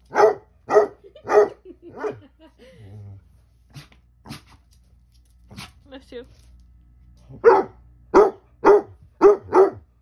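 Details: Basset Hounds named Ari and Musta barking and talking back at home: a burst of five loud harmonic barks, a quiet gap with softer whines and yips, then another quick run of five barks.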